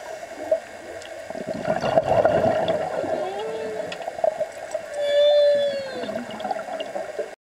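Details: Humpback whale song recorded underwater during a dive: drawn-out tonal moans with a smooth upsweep near the middle and a sustained, slightly falling note later, over gurgling water and bubbly noise.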